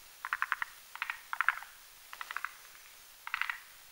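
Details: Rhacophorus arboreus croaking at night while males and females whip up a foam nest on a branch above a mountain marsh pond. Rapid rattling trains of four to six pulses come in quick succession, with brief pauses between them.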